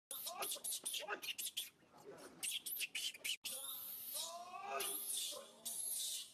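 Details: Baby monkey SUCA crying out loudly, hurt when grabbed by SUSAN: bursts of harsh, noisy high screams alternating with short arched wails, the second half a longer, continuous shrill shriek with bending tones.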